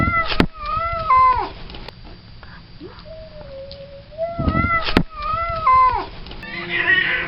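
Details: Male cat in heat calling for a spayed female, giving long moaning howls that bend downward at the end, repeated several times with short gaps, plus a lower steady wail and a brief rough yowl near the close.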